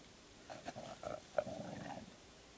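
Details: Dogs, a black chow-rottweiler among them, playing in ten inches of record March snow: a short rough growling grumble with brief broken bursts, low and throaty, lasting about a second and a half.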